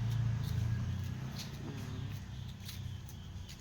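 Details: Low droning car engine dominates throughout, with faint ticking and a soft murmur of voices; no barking or other animal sound is heard.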